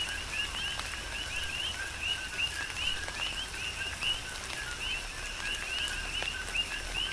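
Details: Coqui frogs serenade through a tropical rain shower, Big Island, Hawaii: overlapping rising chirps, roughly seventy-five a minute from the loudest, irregularly spaced, over constant rain and drops.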